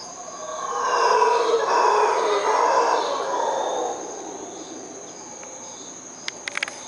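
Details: Distant howler monkeys in Costa Rica at night give a low, rough roaring chorus that swells and fades over a steady insect drone.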